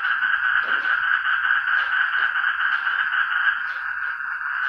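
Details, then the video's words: Frogs making noise together: a dense, unbroken droning chorus of overlapping croaks that holds a steady, mid-pitched buzz throughout, with faint scattered low clicks beneath. "ang mga palaka nag ingay"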